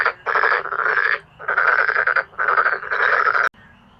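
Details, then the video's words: Male black-spotted pond frogs calling powerfully: long, loud, rasping pulsed croak trains, each about a second, overlap in four bursts with short gaps, ending in sudden quiet. "어린시절 추억을 소환 해주는 참개구리의 떼창 클라쓰 (웃음 나오는 참개구리 예능+다큐 우렁찬 울음소리 주의)"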